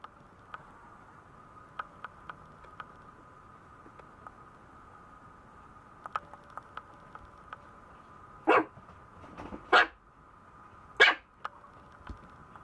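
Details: Maltese puppy giving three short, sharp yipping barks about a second apart near the end, after a quiet stretch of faint clicks and taps over a steady electrical hum.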